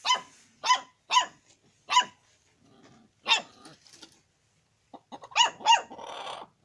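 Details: Dog begging for hot chicken with sharp, bright barks. Three come in a fast run, then come spaced single barks with short pauses. The clip ends in a quick burst of several barks close together.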